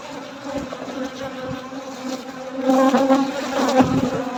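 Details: Honey bees buzz steadily in a low drone that swells louder as the colony grows agitated during a night-time honey harvest.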